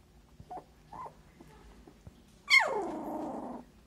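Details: A Siberian Husky puppy, just opening its eyes for the first time, gives a high, whining whimper that slides quickly downward and then holds steady.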